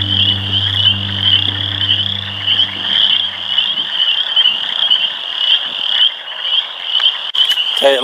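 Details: A dense chorus of frogs in a small water area at a nature center in Lansing, Michigan, heard up close, fills the air with a loud continuous high, rattling trill.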